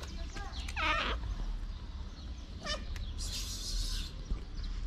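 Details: Pregnant black feral street cat meowing: a harmonic rising-and-falling meow near the first second, then a shorter call, against steady low background rumble and a burst of hiss.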